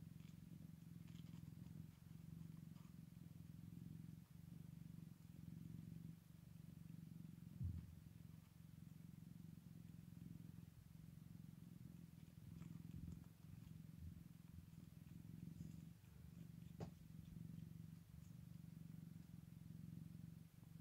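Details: A Scottish Fold cat purrs in a deep, steady, continuous rumble that swells and fades with each breath, on the first day after a litter of kittens is born.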